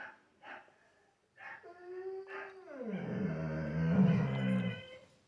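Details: A Labrador Retriever, watching other dogs on TV, howls like a wolf: a drawn-out howl that starts fairly high, then slides down into a deep, rough moan.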